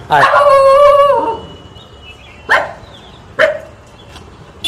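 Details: A cute dog giving funny barks: one long drawn-out whining bark with rich harmonics lasting over a second, then two short sharp barks about a second apart and a clipped bark at the end.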